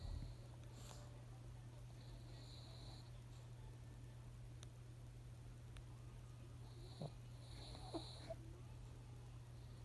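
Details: Monaka, a female pug three months after being taken in, snoring while asleep on a black carpet with her face twitching as if dreaming; a low, steady rumbling snore runs throughout, with a few faint sniffs and clicks near the end.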